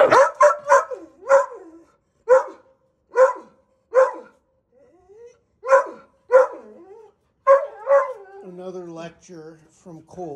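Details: Dogs barking during the third week of bench training for Gustl, a Deutsch Drahthaar puppy; the older dog Colt lectures the little one to settle down. Short harmonic barks come in quick clusters, ending in wavering whiny tones.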